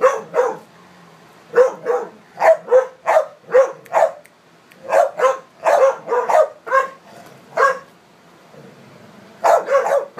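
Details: Four dogs playing together, American Staffordshire, English Staffordshire and American pit types among them; loud clipped barks in rapid runs, quieter between bursts, a gap of over a second before a final double bark.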